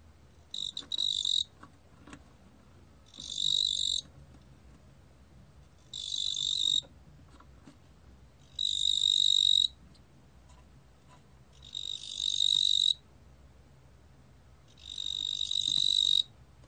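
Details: A 뚱보귀뚜라미 cricket (Korean species) gives bright, buzzy trills about a second long, repeated every few seconds.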